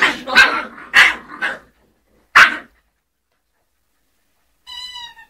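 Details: Two-month-old Scottish Terrier puppies yapping: a quick run of three sharp high barks, a pause, one more bark, then a thin rising-and-falling whine near the end.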